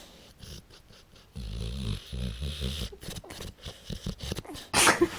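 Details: Tara, a pit bull puppy sound asleep, snoring away: rough, low rattling breaths come in pulsing bursts, one long snore followed by shorter ones, then a sharp broadband rustle at the end.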